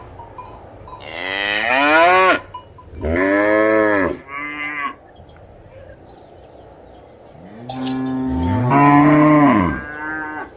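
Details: Cows lowing with several moos: a rising call ending high near two seconds, a long deep moo, a shorter one, then an overlapping pair of rising and falling moos after a quiet pause.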